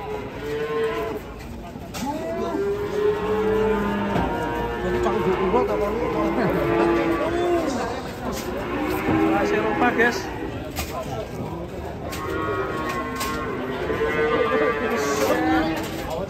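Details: Several giant European-class cattle coming down from a truck, lowing again and again: low, rounded moos every few seconds, some rising then falling, with a continuous noisy background throughout.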